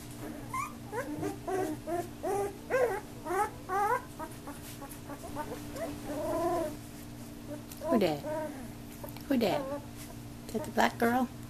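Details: Young puppies, newly active, playing and biting each other, give a rapid series of short, high yelps and squeaky whines. Some come in quick bursts, others are spaced a second or two apart. A woman talks nearby.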